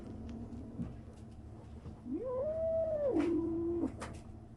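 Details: A 37-day-old kitten making a strange noise: one drawn-out rising then level meow lasting about a second and a half, ending in a lower tail, with a few soft clicks and handling noises around it.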